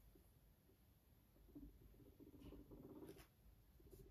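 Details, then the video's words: A fluffy pet guinea pig, apparently named Max, purring beside its owner indoors: a low, pulsed, rumbling purr lasting under two seconds in the middle, with faint room noise and a few soft taps around it. "A fluffy guinea pig sweetly purrs next to its owner"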